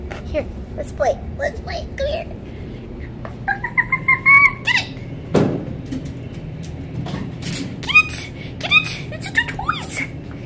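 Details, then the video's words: Winter, a young female red fox rescued in November 2019 from a fur farm where she spent her first five months and still learning to trust, gives short high harmonic whines around the middle, mixed with scattered clicks, knocks and brief voice sounds. "Winter the Fox Talks"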